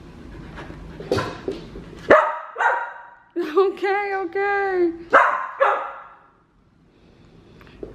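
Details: Sassy female Samoyed Aria back-talking at home: scattered barks, then a sustained wavering howl with several pitch wobbles over about two seconds, followed by two more loud barks before quiet.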